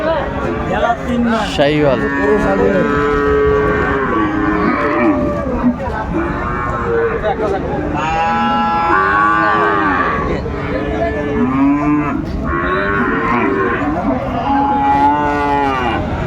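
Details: Sahiwal bull calves at a Dhaka cattle market on 29 December 2024. Many overlapping mooing calls, drawn-out harmonic bellows rising and falling, are heard with traders bargaining in the background.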